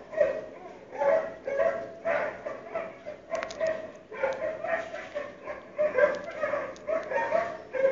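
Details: Neighbouring dogs heard indoors on a February 2012 morning, carrying through closed windows and doors: continuous uneven barking with overlapping yelps and a few sharp metallic clanks.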